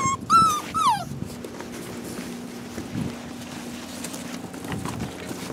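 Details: One rescue puppy, a possible shar pei, hound and lab mix, gives two loud, high, falling whines in the first second, then only a low hum and faint rustling follow.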